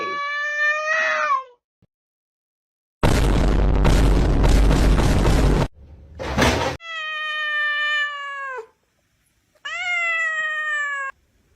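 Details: Pet cat giving three drawn-out, clear meows, each about one and a half to two seconds long, the first one short and falling. A loud broadband rumbling noise burst fills the gap between the first and second meows.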